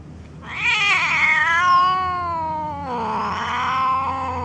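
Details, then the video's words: Angry domestic cat giving a loud, harsh, drawn-out yowl that slides downward, then a second lower, wavering moan, recorded close up. "Very Angry Cats Video - Angry Cats Meowing"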